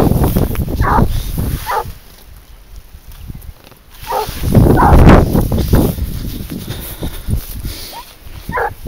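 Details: Garuo, a 22-month-old hunting dog tracking wild boar on a leash, gives scattered sharp barks between stretches of footsteps and rustling, with a man's voice urging softly.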